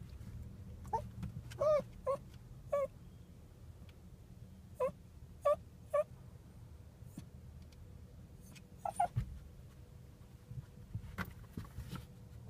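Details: A Chihuahua, recorded on a hidden spy camera, gives short, high, whiny yips in scattered bursts over a low steady hum.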